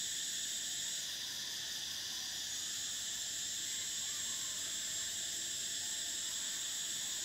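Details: Cicadas filling a summer soundscape with a steady, piercing electric buzz; the top layer shifts pitch slightly after one second, then holds evenly to the end.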